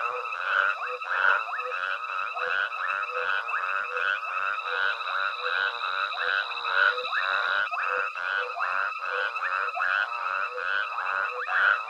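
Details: At Hwange Safari Lodge after dark, a frog chorus accompanies foraging elephants; many voices overlap in quick, pulsing croaks about twice a second, with a thin steady high tone running through much of the recording.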